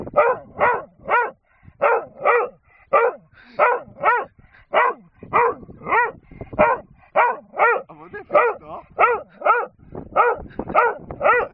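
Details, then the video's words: A dog on a hillside barks at a man because it wants a wooden gun found there, a steady run of loud, mid-pitched barks roughly three per second with short gaps, some doubled. "barking at G man on the hill"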